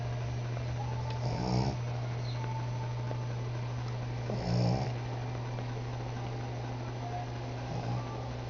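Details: Sleeping female cat indoors snoring through the morning, three slow, rough, low snore bursts about three seconds apart against a constant low household hum.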